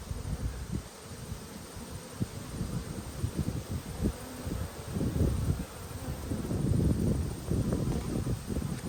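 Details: Honey bee colony under inspection, 19 March 2022: an even, low buzzing drone that swells slightly toward the end, mixed with light rustling and handling sounds from the hive.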